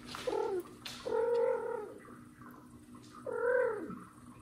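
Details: Mother cat irritated by her hidden kitten Mosya, trying to drag it out: three rising-then-falling meows in quick sequence, the last dipping at its end, with soft rustling.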